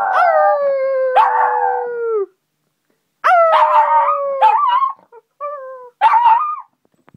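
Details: A little Shih Tzu puppy howls in drawn-out, wavering notes that slide downward in pitch, its everyday greeting when its owner comes home.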